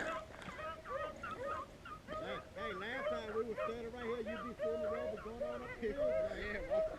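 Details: Beagles on a hunt in Vera, Virginia, running up a ridge after the first jump: several overlapping drawn-out bays, wavering and rising then falling, voices layered almost continuously for seven seconds, with a man speaking briefly in between.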